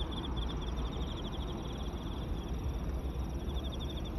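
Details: Emma field crickets calling on the Yamato River embankment in Osaka, Japan; rapid repeated high chirps in short bursts, partly buried under heavy low rumbling noise.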